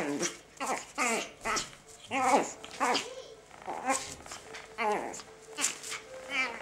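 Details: A 12-week-old Chihuahua puppy gives a run of high, strained yips and whines as he rejects the pig's ear he got for Christmas, with people talking nearby in Finnish.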